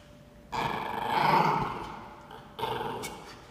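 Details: Norfolk Terrier puppy named Ernie standing his ground, giving a rough, noisy growl of about two seconds that swells and fades, followed by a shorter second growl.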